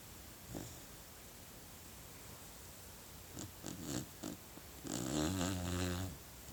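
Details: Sleeping puppy snoring indoors: a few soft snuffling breaths, then a long, rough, buzzing snore in the last second and a half, over steady background hiss.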